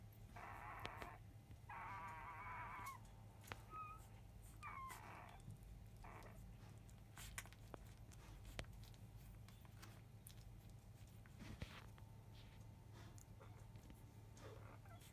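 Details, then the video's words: Newborn field-line Labrador Retriever pups, five days old, making a commotion at the start of an early-afternoon feed from their mother Biscuit: bursts of wavering squeaky whines in the first seconds, then quieter suckling clicks and a constant low hum. "Labrador puppy 5days old!ラブラドールレトリーバーの子犬・生後5日目・午後1すぎ♪またまた授乳・飲みはじめは大騒ぎ！"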